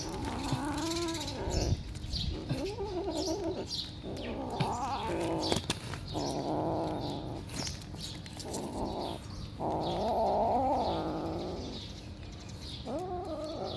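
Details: Domestic cat meowing repeatedly in wavering, nasal calls of varied length, some overlapping clatter and bangs, with low background noise throughout.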